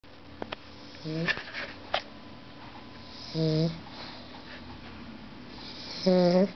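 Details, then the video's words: Pet dog snoring: three short, buzzy, tonal snores with stacked harmonics, each under half a second, spaced about two to three seconds apart, with faint clicks and a low room hum between them. "My dog snoring"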